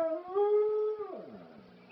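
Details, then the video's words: Dog named Spliff howling along to the old song Telephone Line by ELO, one held mournful tone for about a second that then drops and fades into a wavering lower moan. "The dog singing elo"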